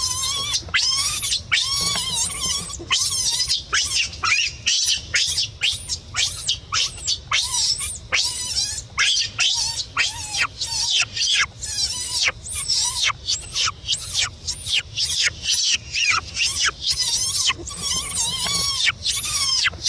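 A baby monkey screams in shrill, wavering cries, repeated over and over in rapid bursts.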